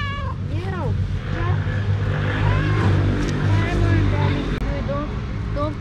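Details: Female domestic cat meowing several times: a loud arching meow first, then softer, shorter calls spread across the seconds that follow. A person is speaking nearby, and a low hum runs underneath.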